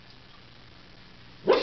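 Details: A female Cairn Terrier gives a single sharp, upset bark after a quiet pause, distressed that her owner has gone to work.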